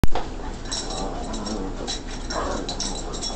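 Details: Two Boston terriers, one a puppy, grunt and whimper in short, breathy bursts over a low rumbling background while playing together.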